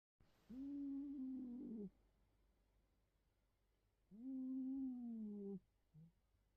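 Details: Cat named Betty sleeping face down and snoring: two drawn-out, tonal, humming snores, each lasting over a second and spaced about three seconds apart, slightly falling in pitch at the end, in a quiet room.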